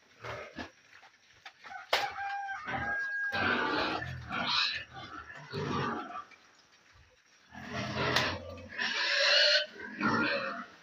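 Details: Piglets gobbling food together in a pen, grunting in loud bursts with a few higher squeals, pausing briefly midway before the chorus of grunts resumes.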